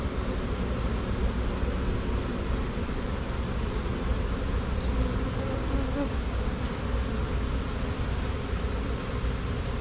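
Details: Swarm of honey bees walking into a box over a laid-down piece of drywall after a tree-branch shake, two queens present; continuous low droning buzz from countless bees, steady and unbroken for the whole stretch.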